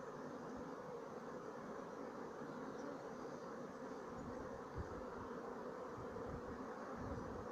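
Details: Sicilian black bee family (Apis mellifera sicula), 2017 colony: a continuous thick hum of many bees, even in loudness, with a faint low thump partway through.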